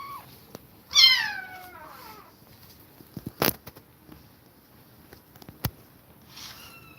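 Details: A kitten forced apart from its aggressive mother lets out one loud, falling meow near the start, followed by clicks and thumps and a faint later cry.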